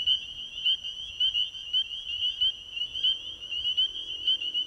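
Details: Nighttime chorus of spring peepers at an ecovillage pond: many high, piercing upslurred peeps overlapping into a constant shrill ringing, individual peeps standing out several times a second.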